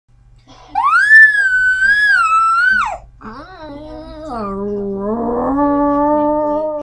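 A toy poodle gives a long, high, wavering howl that rises, holds, then drops away.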